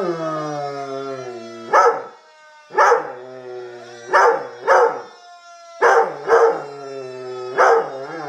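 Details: Howling at a passing siren, a Black and Tan Coonhound/Rottweiler cross gives loud, short, rough howl bursts, some paired, about every second. A steady siren tone drones underneath.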